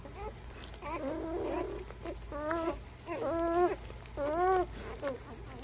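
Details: Newborn puppies, aged between birth and three weeks, give about five short whining squeals, each arching up then down in pitch, separated by brief pauses over a low steady hum.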